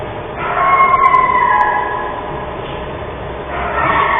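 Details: A coyote gives a drawn-out howl, slowly falling in pitch, as an alarm signal on a December day; its howls set off sled dogs across the road, and a wolf exhibit pack answers with low-throated growls.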